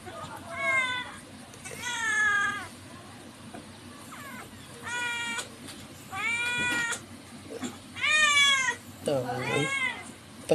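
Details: A pet cat giving a run of drawn-out, wavering meows, several rising then falling, with short pauses between them, while people talk quietly in Filipino nearby.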